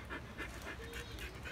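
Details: Siberian Husky panting while pulling a cart carrying boys: soft, breathy huffs repeating steadily about four times a second over a low rumbling background.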